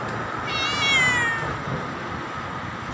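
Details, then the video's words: Single drawn-out meow from a black cat calling loudly to its owner, rising then sliding down, with a soft steady hum behind. "Why Is My Cat Meowing Loudly At Me"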